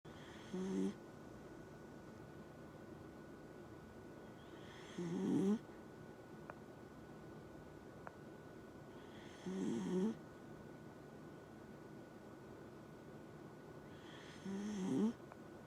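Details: Dachshund snoring in steady rhythm: four rasping breaths spaced about four to five seconds apart, each a short low grating rumble with a breathy hiss above, quiet room in between with a faint steady hum.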